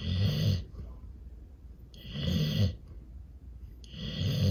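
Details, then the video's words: A fluffy Golden Retriever sleeping under a table against a table leg or pillow snores in deep, rumbling, chainsaw-like breaths, each under a second, repeated about every two seconds. "Fluffy Golden Retriever Snoring Against Table Leg / Pillow"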